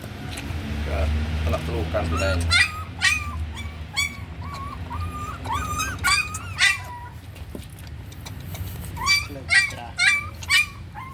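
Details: Puppy raised on milk powder gives a string of high whining yelps with bent, wavering pitch, some in quick clusters, after a stretch of low murmuring voices at the start.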